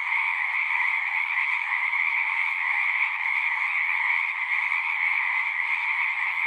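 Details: Singing frogs en masse: a thick, even chorus of overlapping trills that hums steadily at a high and a mid pitch, without pauses or other noises.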